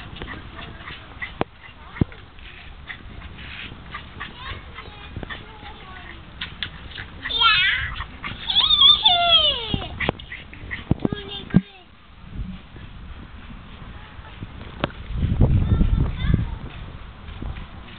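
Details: Jaguarundi giving a burst of loud, squeaky, harmonic chirps that sweep up and down for about two and a half seconds mid-recording. Scattered clicks and handling noise surround it, and a low rumble follows near the end.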